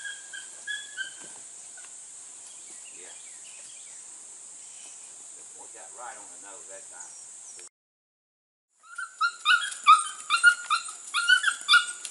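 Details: Border Collie pups aged 6 to 8 weeks, ABCA registered from cattle lines, on goats for their first time; faint background hiss first, then after a short gap a rapid string of sharp, high-pitched yips in quick succession.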